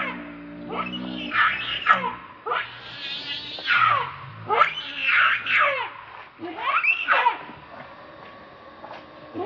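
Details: Screeching bursts from an enraged monkey, Rainbow, shielding Lucie from Kachoy: four or five harsh arching cries spaced a second or two apart, with a faint low tonal hum beneath.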